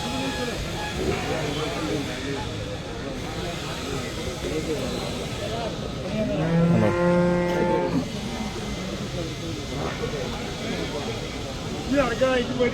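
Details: Large water buffalo sold at the Chelari livestock market; one low, drawn-out moo with stacked harmonics, heard once midway through, over steady crowd chatter, engine rumble and general market noise.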